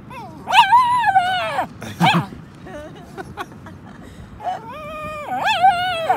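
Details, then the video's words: A female Cairn Terrier does her strange bark: odd, drawn-out barks that sound more like wavering, whiny yodels than sharp woofs. "Cairn Terrier being rubbish at barking"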